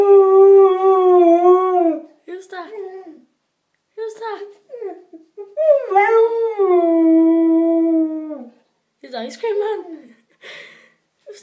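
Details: Samoyed husky howling as it sings along to an ice cream van: long, steady wavering howls of about two seconds each, separated by short broken yips and whines, heard indoors.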